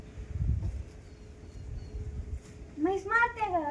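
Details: A newborn water buffalo calf kept at a farm shed on a monsoon morning lets out a wavering, nasal bleat near the end while family members chat and are told to tie its leg.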